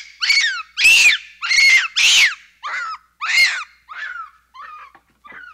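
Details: Capuchin monkey uttering strident screeching squeals in quick succession, each arched in pitch, gradually weakening into fainter, shorter squeaks by the end.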